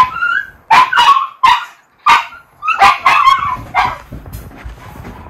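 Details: Miniature Schnauzer brothers kept indoors after nine inches of fresh snow, eager to go out, in Aroostook County, Maine, in February: loud sharp barks in bursts of one to three, about seven volleys with short gaps, with a faint whine between.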